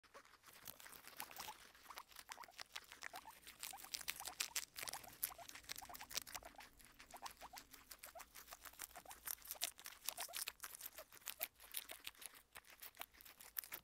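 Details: Pet guinea pigs Kona and Suba feeding, giving dense rapid crunching: sharp, dry, bright chewing clicks packed close together and continuing steadily throughout, with no calls or voices.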